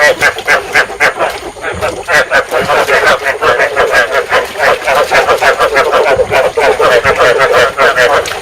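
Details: Loud rice field frog chorus meant to stimulate breeding and lure frogs; continuous overlapping croaks in quick, rhythmic pulses, dense and unbroken throughout.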